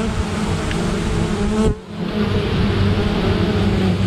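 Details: Honey bees defending against a great black wasp attack give a steady, low droning buzz with a hum of overtones, briefly dipping midway.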